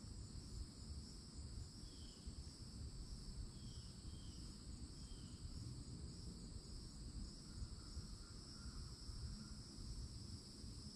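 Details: Cicadas droning high and constant at a Florida forest edge in summer, with scattered short bird calls around two to five seconds and softer notes near nine seconds, over low rumbling background noise.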